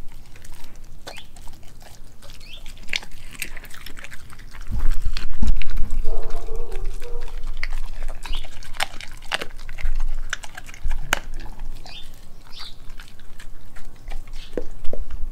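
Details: Raw meats, including beef heart, liver, chicken feet and a homemade raw chicken nugget, chewed by Nala, a Kelpie German Shepherd mix dog. Sharp biting snaps and crunches come in bursts, with a brief tonal squeak near six seconds.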